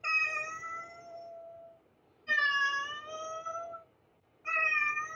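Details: Insistent cat meowing: three loud, harmonically rich meows, the first two long and drawn out, over a faint low background hum.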